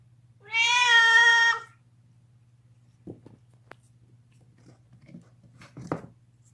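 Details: A deaf male domestic cat screams while gnawing on a bone indoors: one loud, harmonic yowl lasting about a second, then quiet crunching clicks and a faint squeak over a low steady hum.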